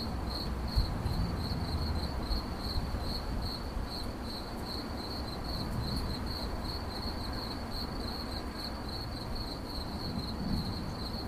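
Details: Chirping of a cricket, presented as 8D relaxation audio: rapid, evenly spaced high pulses at a single pitch, about two or three per second, running continuously over deep low-frequency rumble.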